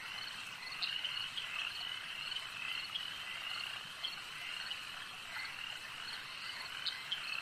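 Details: A lakeside frog chorus, many callers blending into a constant high, buzzing trill, punctuated by occasional sharper notes that rise above the steady background.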